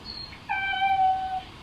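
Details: Feral domestic cat recovering from stomatitis, regaining his voice and sitting by the windows meowing indoors; one drawn-out, steady, tonal meow just under a second long, level pitch then a slight fall, in a quiet room.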